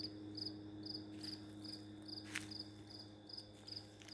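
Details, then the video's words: A lone cricket chirping continuously for days near a house door; evenly spaced high chirps sound about twice a second, with a few sharp clicks and a background hum. "How long can a cricket chirp? It's been 3 days steady now..."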